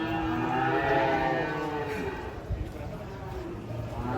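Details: Cattle at a livestock market, unloaded from a truck, give a drawn-out low moo with a rising then falling tone over the first second and a half, amid crowd chatter and market noise.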